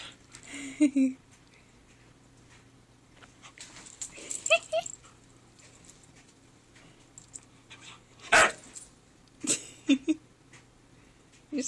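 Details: Husky whining because he wants to go upstairs, indoors: short high, wavering whimpers near the start and again mid-recording, among sharp clicks and knocks, with some human speech.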